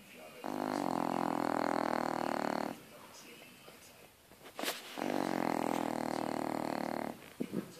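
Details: French Bulldog asleep and snoring: two long, loud, harsh, rattling snores of a little over two seconds each, separated by a quieter breathy pause with a few small snorts.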